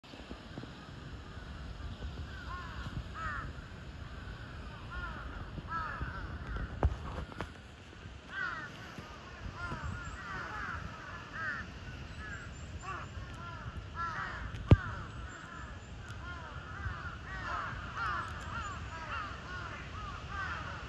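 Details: Cheetah Zuraya at Chiba Zoological Park, Japan, 8 April 2023, giving soft, bird-like chirps that arch up and down. They come in loose, uneven bursts over steady low background rumble.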